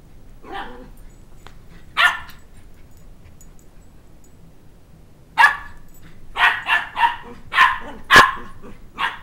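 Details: Two-month-old Shetland Sheepdog puppy barking while chasing a toddler around a coffee table for his stuffed dog-head toy: a few scattered yips, then a rapid run of about seven high, sharp barks near the end.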